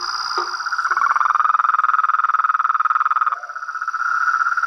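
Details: Toads, frogs and tree frogs calling together: a few short low croaks open, then a loud, rhythmic throbbing trill with pulsing beats carries on until a softer, lower note takes over, against a constant high-pitched whine.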